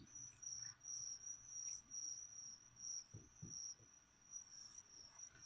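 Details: Feeder crickets for a leopard gecko give a steady, high-pitched chirping, short pulses repeating about twice a second, with faint low taps near the middle.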